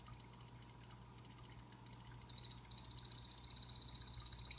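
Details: Captive blue-bellied poison frogs in a vivarium with real plants: after faint scattered clicks, a high, rapid, buzzing trill begins midway and continues evenly to the end, over a low constant hum.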